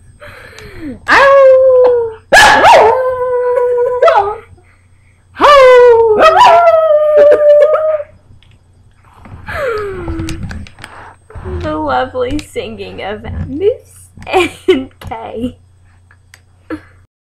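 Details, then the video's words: Pet dog howling along as its owner sings at home over a holiday weekend; several long wavering howls early on, then shorter yips and mixed broken voices, a steady low hum throughout. "My Dog can sing better than yo"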